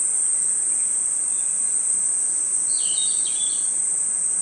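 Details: Forest at night with crickets and other insects sustaining one even, very high shrill tone, joined late by a small cluster of quick whistled bird notes.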